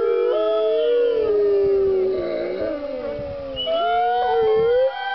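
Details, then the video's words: Wolves at the California Wolf Center howling on the Fourth of July with no fireworks nearby: several overlapping long, smooth, wavering howls, one dropping slowly in pitch while higher voices rise and fall above it. "California Wolf Center wolves howling"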